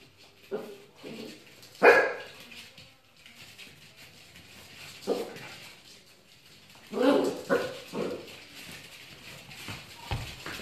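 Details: Scottish Terrier barking indoors in a small room: single short sharp barks, then a tight cluster of three or four barks near the end, with a person's voice in the background.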